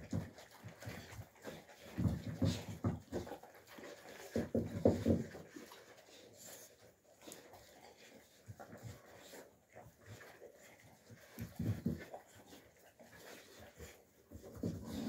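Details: Young Alabai puppies play-fighting in winter 2023, named Fawn, Alpha and Tiger: low rough growling bursts, loudest around two, five and twelve seconds, with panting and scuffling between them.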